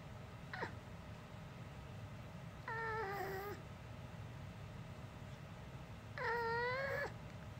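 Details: Pet dog that has never barked since it was small, producing unusual human-like vocal sounds: two drawn-out, wavering, moaning voice-like calls about a second each, several seconds apart, over a quiet indoor background.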